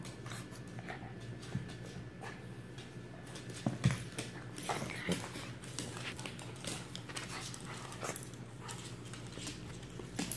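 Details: Rachel the Shih Tzu and Ricky the Lhasa Apso play fighting in South Beach, Miami, wrestling, tail biting and body flipping; short snorting bursts and scuffling thumps rise over a steady low hum, loudest near the four-second mark.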